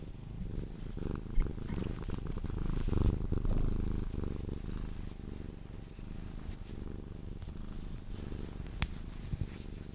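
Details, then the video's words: Sphynx cat purring through cuddles and kisses, drifting toward sleep; continuous deep rumbling purr with rhythmic in-and-out pulses, brief rustles and a soft click from handling. "CUDDLING MY SPHYNX | 10 MIN CAT PURRING CUDDLES E KISSES SOUNDS"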